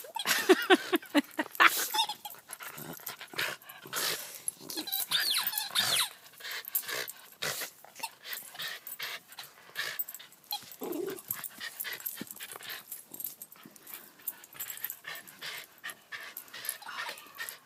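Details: Dog playing with a squeaky toy, giving rough, noisy growls in rapid irregular bursts mixed with sharp toy squeaks and rustling, louder at the start and continuing unevenly throughout.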